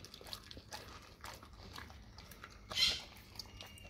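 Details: Dog eating raw cow tongue indoors: soft, irregular wet clicks and smacks of chewing through the clip, with one louder squelching bite near the end over a quiet room background.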